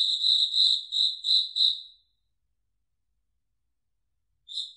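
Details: Night song of crickets in a foggy forest: about six quick, shrill chirps over two seconds, then silence broken by one last faint chirp at the end.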